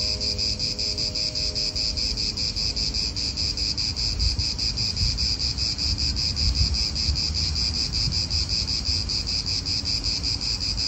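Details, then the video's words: Cicadas calling in a real Italian park: a steady, shimmering high buzz with a fast pulsing texture that runs without pause, over low rumble from wind and nearby cars. "italian park ASMR Cicadas wind real atmosphere in an Italian park"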